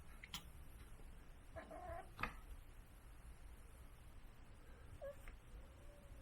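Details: Kitten crying out in a strange, never-before-heard voice, indoors; two faint, short meow-like cries with harmonic overtones, one around the middle and a softer one later, over a low steady hum and a sharp click.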